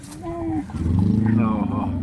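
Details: Khillar young bull, a main attraction at the Pusegaon fair in India, about 18 months old: deep, pulsing low bellow that swells and holds for over a second, following brief human speech, with voices of people nearby.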